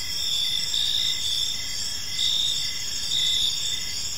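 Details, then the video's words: Several crickets chirping in a park at evening; dense high-pitched trilling with a slow rise and fall in intensity, low ambient rumble in the background. "Park Serenade: Cricket Sounds in a Peaceful Park | Evening Ambience"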